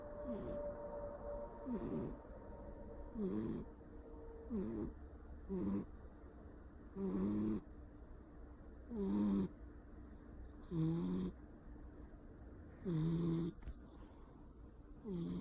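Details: Sleeping Persian cat, a male, snores loudly indoors: rough breaths recur every one to two seconds, each sliding down in pitch with a breathy hiss, growing more regular and louder toward the end over a low constant hum.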